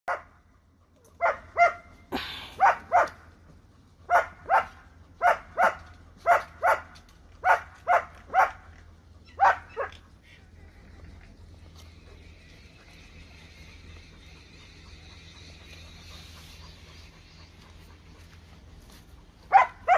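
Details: A Rottweiler mother, nursing an Indian-breed puppy, barks sharply in a rapid burst of two or three per second for about ten seconds, then a faint hiss and one last bark.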